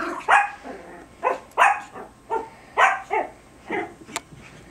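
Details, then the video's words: Playful tug of war between two Biewer Terriers, Harry and Isabelle, over a hair accessory, March 2008; a run of about six short, bright barks spaced roughly every half second to second, fairly loud and clear indoors. "Biewer TUG-o-WAR"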